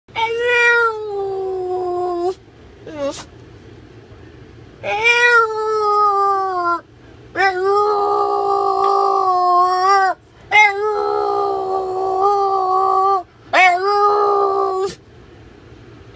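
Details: Female Boston Terrier indoors, frustrated that her owner is not sitting on the couch with her, voicing discontent: a run of long drawn-out whining howls, each held one to two seconds with wavering pitch and rich overtones, separated by short quiet gaps.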